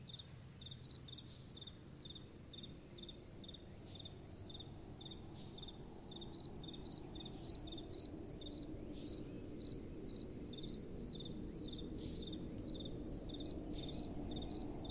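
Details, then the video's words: Night-time crickets give bright, evenly spaced high chirps, roughly two or three each second, while a gentle wind murmurs and swells in the background. "Crickets & Soft Wind"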